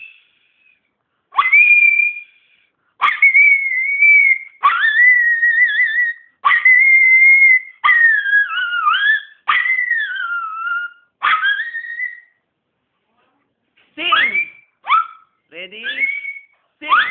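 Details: A Miniature Pinscher in the Philippines howls on command ("Sing!") in high, drawn-out notes that bend and waver.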